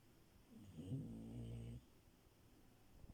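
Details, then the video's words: French Bulldog named Milo sleeping in bed, one low rumbling snore lasting about a second with a harmonic buzz, then quiet room breathing. "Frenchie love and her snores"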